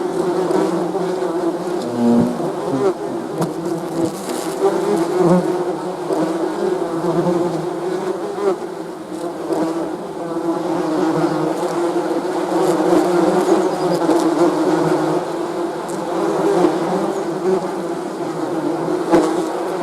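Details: Honey bees humming nonstop, a rich low droning buzz made of many insects at once, loudness rising and easing gently over the stretch, with occasional nearer bees briefly standing out.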